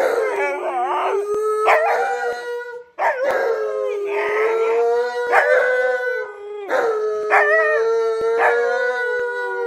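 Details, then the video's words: An Alaskan Malamute, indoors with huskies, howls at its owner for attention while she works, giving long, bending woo-woo howls rising and falling in pitch, with barely a pause between phrases for nearly ten seconds. "Malamute & Huskies Yell At Me For Working"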